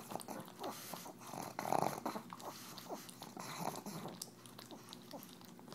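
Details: While licking EZ Cheeze out of a KONG toy, the pug Tumble gives low, rough growly grunts among wet slurping and smacking sounds indoors.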